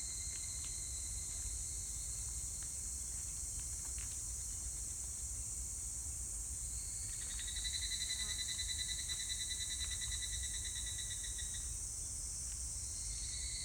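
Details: Evening cicada (higurashi) singing on 25 July 2019: a rapid pulsed, ringing trill of a few seconds rising in the middle of the clip over a steady high insect chorus and low rumbling background noise.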